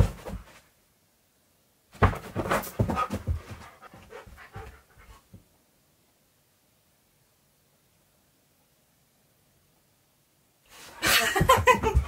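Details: Keyush, a pet husky indoors, searching for his owner hiding under his beanbag; rapid, breathy panting at about three to four breaths a second comes in two bursts separated by several seconds of silence.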